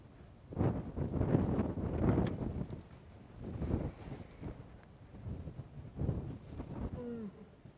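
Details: At sunset on 10 September 2016 in Sabi Sand, South Africa, a lone lioness gives deep, repeated, increasingly incessant moaning contact calls through strong, gusting wind, calling other lions to her.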